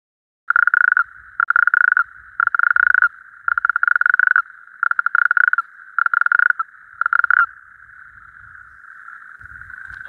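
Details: Male natterjack toads calling at night at a temporary breeding pool: loud rattling trills around one to two kilohertz, each burst lasting about half a second and repeated roughly every second, with a continuous chorus droning behind and faint low rumbles.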